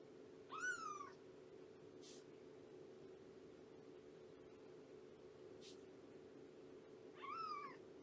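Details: Shelby, an abandoned mother cat of about two years, during a morning visit at the Purrfect Pals shelter: two short, arched, rising-then-falling meows about seven seconds apart, with a steady low hum between them.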